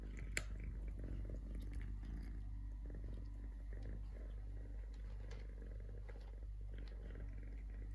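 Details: Three-legged stray kitten purring indoors, a steady low rumbling throb continuing through the whole stretch, with faint clicks and small rustles.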